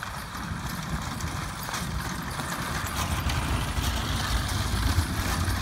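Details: A pair of 9- and 10-year-old Percheron gelding brothers, driven as a traffic-safe team along a road; brisk, irregular hoof clatter at roughly four beats per second, mixed with a low engine-like hum and rolling wheel rumble.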